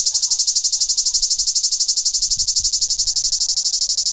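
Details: Cicada, the tzitziki of Greece, producing a piercing high buzz in very regular rapid pulses, about ten a second, steady throughout with a few faint low knocks.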